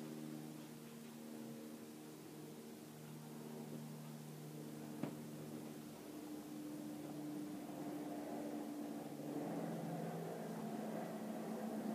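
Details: Steady indoor mechanical hum with layered low droning tones, one sharp click near the middle, and rising fan-like noise toward the end, without any animal calls.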